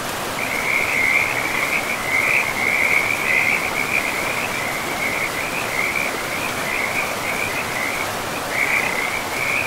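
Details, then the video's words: Frogs beside a river in a pristine forest: a continuous rapid trilled chirping at a high pitch, with tiny breaks, over a steady rushing wash of flowing water. "River and Frogs sleep sounds"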